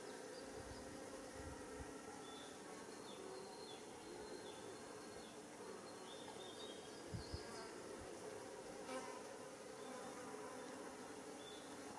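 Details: Foraging worker Japanese honeybees (Apis cerana japonica) visiting white rock creeper flowers for nectar and pollen beside a mountain road in Japan, early July 2016; a steady, dense, low droning buzz carries throughout with faint high chirps from other insects or birds.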